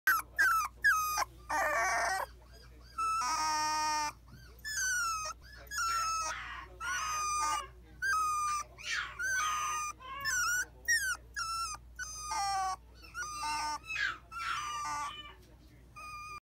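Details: Female long-haired Kaninchen Dachshund puppy, born May 2018, recorded in July; continuous high whining and whimpering, short rising and falling cries repeated rapidly, some longer drawn-out wails, with a low steady hum underneath.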